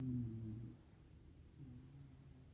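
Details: One-year-old female Shiba Inu named Hime snoring while asleep indoors: a low, rumbling drawn-out snore at the start, fading, then a softer second rumbling breath.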